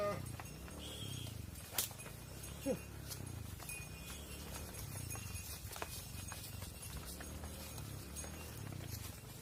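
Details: Mother cows entering a barn while their calves stay outside, low droning moos rising and falling through the clip, with hoof clatter and scattered knocks on the barn floor.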